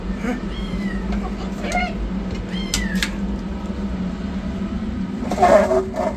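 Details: Rescued yellow kitten running for food, alongside a black kitten receiving treatment: a few thin rising-falling meows early on, then a louder burst of cries near the end, all above a constant low hum.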